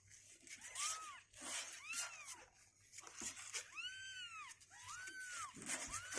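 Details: Indoor kittens two weeks old, growing stronger and unwilling to stay in the box, give a run of thin arched mews, about five cries, one longer and louder near the middle, over light rustling and scratching.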